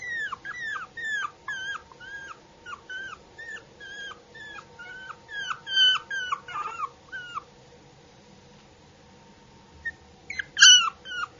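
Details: Yorkshire Terrier puppy whimpering: a rapid run of high, falling whines repeated several times a second for about seven seconds, a pause, then a couple of louder yelps near the end over a steady low hum.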